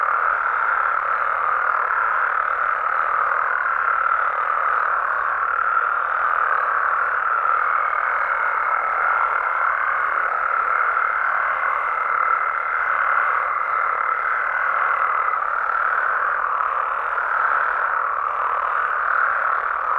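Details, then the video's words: Nighttime frog chorus from Mexican amphibian habitats, a thick continuous drone of overlapping croaks; midway a thin, steady higher tone joins and holds for several seconds before fading out while the chorus carries on unchanged. "Mexican Frogs & Toads Sounds"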